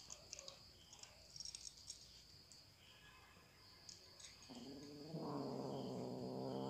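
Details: Domestic cat eating: a run of soft, irregular clicking and crunching chews, then a loud drawn-out tonal meow-like call with rich harmonics that holds to the end.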